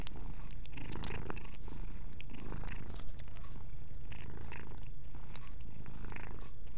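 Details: Mia the cat purrs in an unbroken low drone while washing herself, with soft licking and rustling sounds scattered through the recording.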